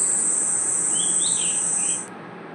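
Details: Crickets and other insects at night in a forest: a steady, very high, unbroken shrill trill that stops abruptly near the end, with a brief, thin, whistled, rising-and-falling chirp in the middle.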